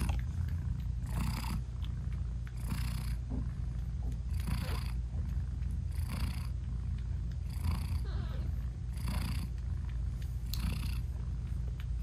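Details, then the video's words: Purring British Shorthair mother cat nursing her newborn kittens with eyes still closed; a low, unbroken rumble with a breathy rise about every 1.6 seconds, seven in all, no added music. "ASMR Cat Purring Meowing 🥰Sweet Mommy Cat Talking to her Cute Tiny Kittens 😘British Shorthair Cats"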